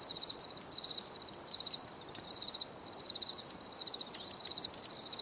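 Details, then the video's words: Cricket chorus with bright, high, pulsed trills in short repeated bursts about a second apart, the steady pitch holding throughout, with faint clicks in the background. "Bruit de Grillons"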